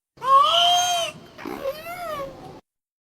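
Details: A trained female orca imitating human words spoken by her trainers out of the water: two tonal, nasal squeals in quick succession, the first steady, the second arching up then down, on a quiet background.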